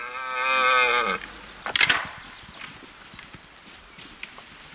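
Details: Male red deer competing in the rut, where the winner takes all. One harmonic bellow lasts about a second. A burst of sharp, woody clacks follows, then scattered quieter knocks.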